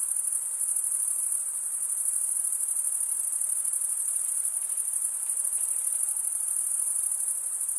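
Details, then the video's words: Continuous chirping of crickets, made by drawing one wing over the comb-like teeth of the other: a dense, even, very high trill with slight pulsing, over a quiet hiss and nothing else. "Most relaxing cricket sound for 8 hours"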